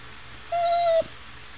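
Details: Pet Chow Chow Sugar vocalizing at her owner, a single steady, level, whistle-like whine lasting about half a second that ends in a brief drop, heard against a quiet indoor background.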